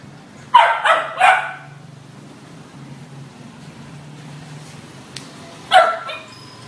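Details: Labrador Retriever puppy, 2.5 months old, back in its cage after a sit training session, gives three quick high yapping barks in a row, falls quiet for about four seconds, then yaps once more over a low steady hum.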